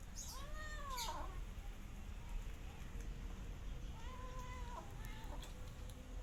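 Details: Meowing as a rescue cat and kittens eat side by side: a quick arched meow at the start, a flatter sustained one a few seconds later, with faint clicks and a low hum underneath.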